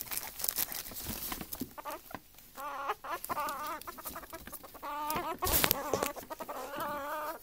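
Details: Two ferrets, a larger female and a baby male, interacting together: rapid bursts of soft clucking dooks with wavering, chuckling tones, repeated in quick runs between scuffling and thumping noises.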